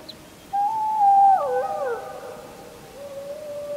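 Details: Wolf howling under a full moon on 31 July 2015, recorded with a JVC Everio camcorder: a drawn-out tone begins after half a second, then bends and splits into several wavering pitches as other voices overlap, fading to a low hum.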